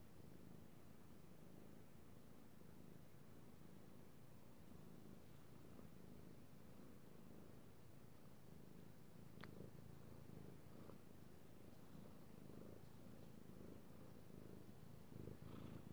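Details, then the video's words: House cat purring contentedly under petting, recorded 3/16/18; low continuous rumbling purr with occasional soft clicks and rubbing sounds from the hand on fur. "Petting Io the Kitty Cat / ASMR Cat Purring"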